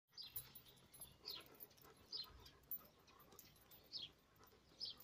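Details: A Weimaraner out walking with its owner gives thin, high whines that slide downward, repeated about once a second.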